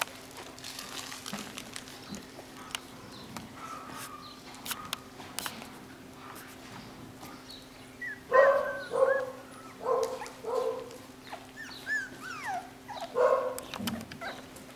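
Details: Nine-week-old home-bred Jackateese puppies, a Jack Russell x Maltese litter of boys and girls: quiet rustling at first, then from about eight seconds a run of loud, wavering yelps and whines, some sliding downward, over a steady low hum.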